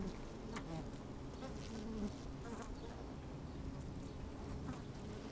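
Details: Quiet, even drone of honey bees busy inside an opened hive on a fine sunny day, microphone placed down in the hive; a faint steady hum with soft crackles throughout.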